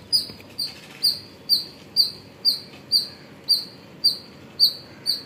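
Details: Squirrel heard in the morning hours at Pozhichalur: eleven or so clear, shrill chirps evenly spaced about half a second apart, each a short sharp note, over a low background hum.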